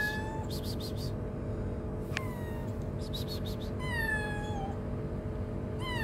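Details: Shy, very hungry stray kitten living on the street gives high, falling meows, four spaced across a few seconds, over a steady low hum with bursts of rapid high-pitched rattling clicks in between.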